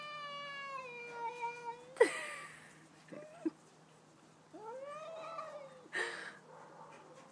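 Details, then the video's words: Two domestic cats, a household pet and the cat next door, in a stand-off: a sustained harmonic howl, a sudden loud burst, brief silence, then an arching rising-and-falling wail and another abrupt cry. "2 cats singing/talking!"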